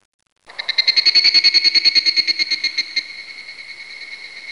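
A cicada starts abruptly into a shrill, continuous buzz made of very fast pulses. The ringing tone holds steady throughout, loudest early and then easing slightly.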